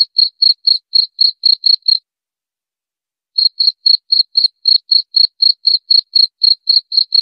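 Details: Cricket calling, as a sound to scare away mice: regular shrill pulses about four per second, broken by a pause of over a second before the same steady chirping resumes.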